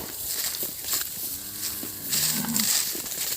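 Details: Calf cattle bawling after losing track of their mothers: two short moos, the first flat and level, the second lower and briefer, amid clicking and outdoor background noise.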